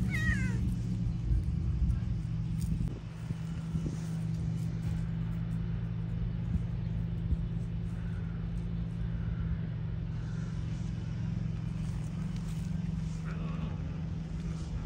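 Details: Stray cats in a heated exchange among feline friends; a short harmonic meow with a falling sweep opens, then fainter meowing calls around eight to ten and thirteen seconds over a steady low engine-like hum and traffic.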